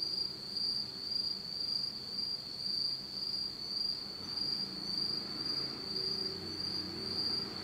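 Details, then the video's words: Japanese autumn insects calling at night in total darkness, a sustained high trill broken into quick regular pulses nearly twice a second, over quiet low background noise. "真っ暗闇の秋の虫の声 Beautiful sound of insects in the fall of Japan in total darkness."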